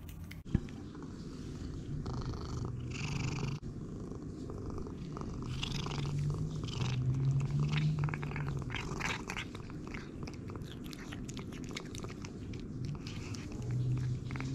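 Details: Jericho, a male house cat on an all-raw diet since 2018, purrs while eating raw food indoors: a low, steady rumbling purr that swells and fades, overlaid with crisp crunching and chewing clicks.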